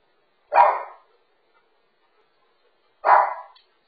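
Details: Pet dog from a Phoenix, Arizona household with a Shih Tzu, a Bernedoodle and a third dog, barking while a pet sitter screams at and hits the dogs: two sharp, short barks about two and a half seconds apart, silence between.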